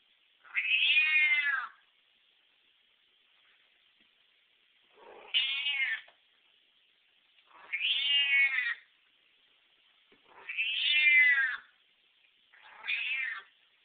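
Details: Deaf domestic cat screaming for food: five loud, drawn-out yowling meows, each about a second long with a strained, harmonic-rich tone, separated by short pauses, in a quiet indoor setting.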